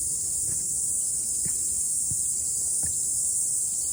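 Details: Cicadas singing after rain on a morning mountain hike: a steady, high, hissing drone holds without a break, with soft thuds of footsteps every second or so underneath.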